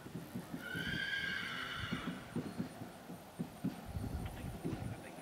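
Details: Sorrel Tennessee Walking Horse mare ridden by a young cowboy in Oklahoma; one clear, high, tonal whinny lasting about one and a half seconds and sliding slightly downward, followed by steady hoofbeats and faint speech.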